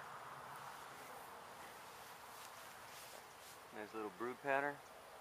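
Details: Honey bees from a gentle hive being removed from a house window in Edinburg, Texas, where the colony had lived at least one season; steady low droning hum for several seconds, then a man's voice speaking briefly near the end.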